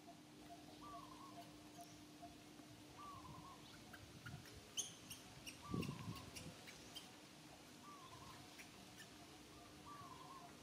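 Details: Young monkey Santo cries sadly, asking mama Sara for milk: brief whistled wavering notes repeated roughly every two seconds, with a steady low drone, a few soft thumps and faint clicks around it.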